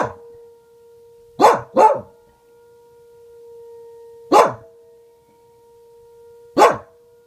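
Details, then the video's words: A female Welsh Corgi barks at a tornado siren, giving sharp, isolated barks, a quick pair and then two single ones, over the steady siren tone. "Welsh Corgi barking and howling at tornado siren"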